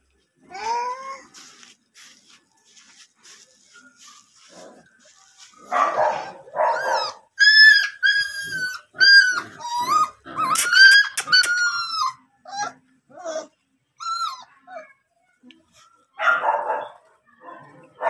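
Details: German Shepherd puppies offered for sale; high, whining yelps and whimpers with sliding tonal notes come in uneven bursts, busiest in the middle, with quiet gaps between.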